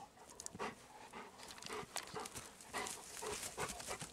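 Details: Golden Retriever named Kohaku walking in still, windless woods in a season with no birdsong or cicadas, panting in quick chugging, locomotive-like breaths, rhythmic breathy bursts repeating several times a second, mixed with footsteps on the forest floor.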